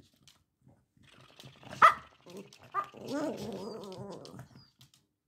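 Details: Prada, a one-year-old Cavalier King Charles Spaniel, plays with a self-moving interactive ball given for her birthday. There is a sharp single bark, a second shorter bark, then a wavering, throaty growl-like vocalising lasting over a second.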